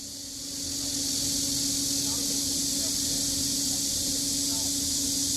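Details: Cicadas singing along Deogeumsan Solbaram-gil trail in Namwon, South Korea, on 16 August 2019: a steady, dense, hissing high-pitched drone that swells in the first second and then holds unbroken, with a faint low hum underneath.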